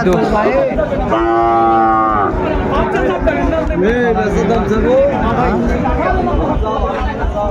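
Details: Sahiwal bull calves at a cattle market in Bangladesh; one calf gives a steady harmonic moo lasting about a second, followed by shorter rising and falling lows, over constant crowd chatter and talking.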